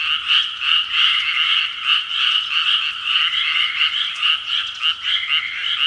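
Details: Frogs heard at 6 pm, a thick evening chorus of overlapping croaks, quick pulsing rattles rising and falling slightly in loudness throughout.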